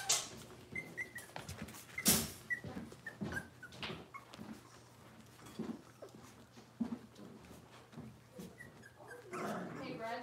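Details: Cavalier King Charles Spaniel puppies from Robin's litter, indoors on a kitchen livestream, giving short high whimpers and squeaks scattered across the clip, with clicks, rustling and a faint voice in the background.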